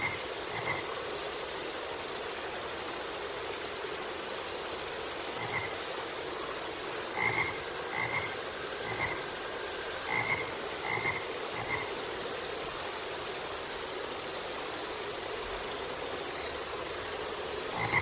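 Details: Frog repeating brief, buzzy croaks scattered through the recording, some in quick pairs or triplets, set against a steady, loud hissing background.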